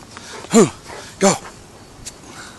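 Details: Dog learning its guard duties, from a household with an English Mastiff and a Basset Hound, gives two short, sharp barks about three-quarters of a second apart, followed by a quieter click and faint background hiss.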